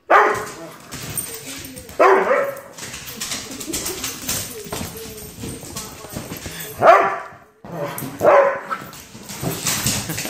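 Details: A small Chihuahua stands up to two Doberman dogs, giving a burst of harsh barks near the start and two more close together later, while people keep talking in the background.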